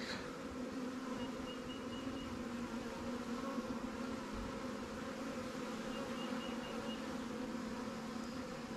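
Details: Honey bees from a recent swarm capture, housed in a Langstroth or Warre hive, hum steadily during an apiary inspection. The dense, unbroken drone stays constant, with a brief tap at the start and soft thuds partway through.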